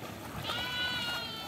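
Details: Mud-wading goat, said to be searching for fish, gives a quavering, nasal bleat of almost a second, steady in pitch with a shaky tremolo, over a hiss of outdoor background noise.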